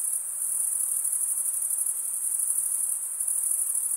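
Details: Short stretch of crickets stridulating, a bright, high continuous buzz with a faint rapid pulse running through it, steady throughout and free of other noises.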